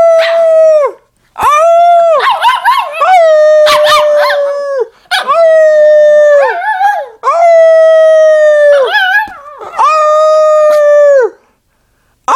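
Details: Pet dog being taught to howl by its owner indoors: a series of long, steady, clear howls, each lasting one to three seconds, separated by short breaks, with rougher, overlapping wavering sounds between some notes.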